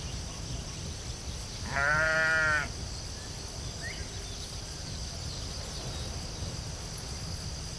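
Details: A sheep on the field gives one short, wavering bleat lasting under a second, then only low background rumble and a steady high-pitched hiss remain.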